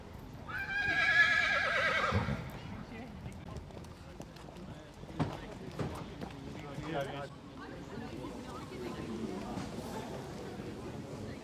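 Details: Temperamental Thoroughbred mare at Chantilly racecourse, France, an animal that may refuse to compete and is quickly put in isolation; a loud quavering whinny for about two seconds, followed by hoof clops, thumps and quiet background noise.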